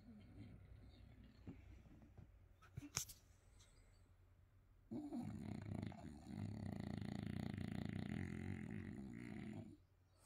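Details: Sleeping French Bulldog snoring indoors: a quiet stretch with a few faint clicks, then from the midpoint a loud, rough, steady rasping snore that runs for about five seconds before fading out.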